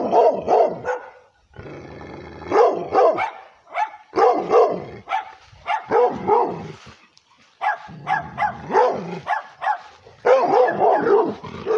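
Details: Angry barking from a female pit bull mixed with Redbone Coonhound, aggressive toward the camera; rapid clustered barks with a rough, growly edge, broken by short pauses.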